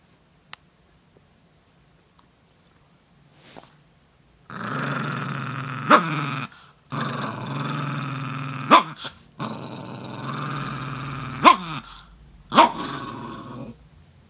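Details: Italian Greyhound Slim threatened by a finger, answering with a series of four rough growls, each lasting one to three seconds and punctuated by quick snapping yelps, after a quiet start.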